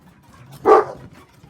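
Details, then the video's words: Pet dog making a single short talking vocalization amid play with other dogs, a brief bark-like yowl with a rising then falling tone, a quiet room behind it. "puppy talking"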